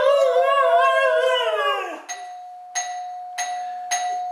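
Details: Excited by the doorbell, the pet husky Misha produces a long, modulated, moaning howl indoors, its pitch sliding up and down before fading. Repeated doorbell chimes then ring out in a steady rhythm.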